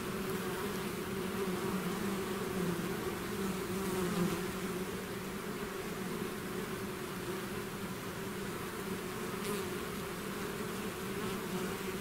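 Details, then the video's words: Bees swarming outside their hive: an unbroken, even buzz whose layered low tones hold steady throughout, with occasional brief louder passes of individual insects above the mass of wingbeats. "bees therapy swarm natural buzzing sound"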